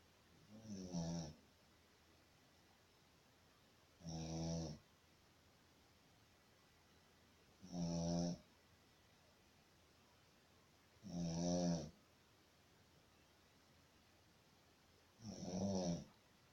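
A Shih Tzu snores in slow, regular, rumbling breaths about every three and a half seconds.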